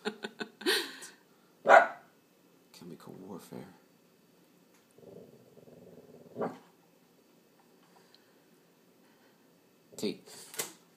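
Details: Indoor watchdog barking by a Boston terrier frenchton called Tucker: several short sharp barks and a low growl spaced across the stretch, mixed with people talking and praising him.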